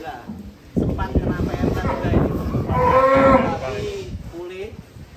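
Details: A giant fat cow in Indonesia, shown before slaughter, gives one long, loud, rough moo lasting about three seconds, broad and low, with background music.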